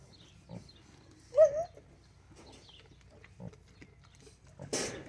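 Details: Newborn pot-bellied piglets: a short high squeal rising and falling near the middle, with scattered soft grunts and snuffles before and after, then a brief rustling burst at the end.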